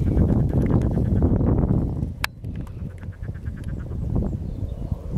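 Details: Common toads in an oxbow lake by the Vistula on 13 April 2022 give a low, throaty chorus of short croaks in rapid, irregular runs, with an occasional sharp click and soft splashing water.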